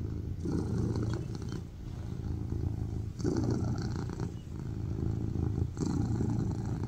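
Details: Tuxedo cat purring loudly while lying on its owner's lap: a deep continuous rumbling purr that swells and eases with each breath, roughly every one to two seconds.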